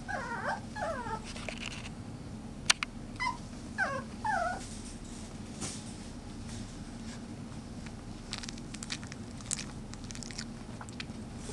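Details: Chihuahua puppies whimper in a run of thin, wavering squeaky whines through the first five seconds, each bending up and down in pitch. Scattered clicks and rustling follow over a steady background hiss.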